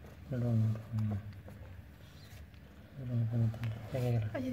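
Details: Village domestic cat about to give birth, giving low, drawn-out moaning calls in two bursts: three short yowls, a pause of nearly two seconds, then four more, over a steady low background hum.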